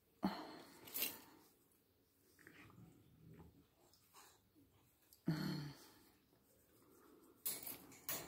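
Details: Boxer puppy indoors, being cuddled in the morning, gives short breathy snorts and puffs in separate bursts near the start, middle and end, with quiet shuffling and breathing between them in a small room.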